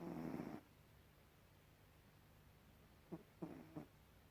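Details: A cat named Gribouille snores in a small room; one rough, buzzing half-second snore opens, then quiet, then three short clipped snorts close together near the end, with a faint constant low hum underneath.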